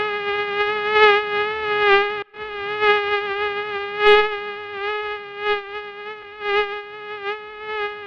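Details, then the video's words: Mosquito whining continuously on a single high, reedy note, loudness rising and falling about once a second as it circles, with a brief break near the two-second mark; otherwise quiet. "Real Sound of Mosquito"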